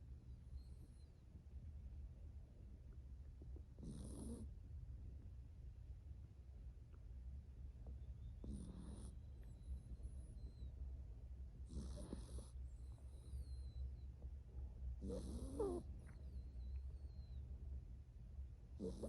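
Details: Seven-year-old rescued toy poodle Brownie napping on a lap at a house beside a forest, giving short soft snorts every three to four seconds over a loud low rumble, with thin birdsong from outdoors in the gaps.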